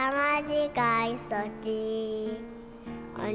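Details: Children's music with a child singing in clear sustained melodic notes; no animal sound is heard.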